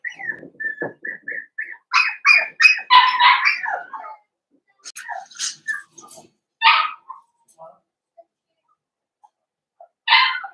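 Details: Young blenheim Cavalier King Charles Spaniel puppies, part of a New Year's litter of five, whining indoors in their pen: a rapid run of high, thin whines, then isolated squeals spaced by silences.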